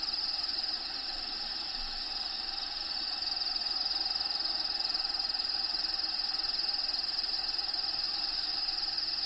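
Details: Crickets inside a bearded dragon vivarium housing Diego: a steady high, shrill trill held at one pitch, pulsing evenly about four times a second throughout, over faint background hiss.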